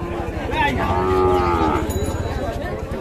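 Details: Sahiwal bull calves at the Ambari cattle market in Dinajpur on 28 February, heard on entering the market; one long, steady moo with a slight downward bend, over a busy crowd murmur.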